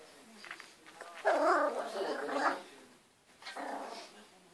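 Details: Spitz puppy giving a grumbling, whiny growl that rises and falls for about a second and a half, then a shorter, softer burst after a brief pause.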